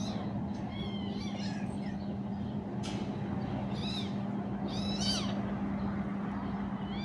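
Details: Kittens, three of them, playing with their mother cat, give high, thin, arching mews with bright overtones, about six short cries scattered across the stretch, over a steady low electrical hum and soft background rumble.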